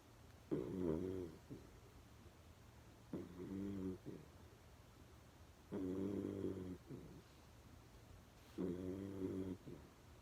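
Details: Loud snoring from Berry, a dog dozing with eyes half open: four rhythmic, buzzy, harmonic snores, each roughly a second long, spaced about two and a half seconds apart in a quiet room.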